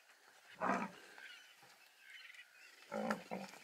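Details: An African buffalo herd at Ol Pej, surrounding a lion kill in the afternoon and seeming to mourn the dead buffalo, gives two harsh, moaning bellows about two seconds apart against a quiet outdoor background.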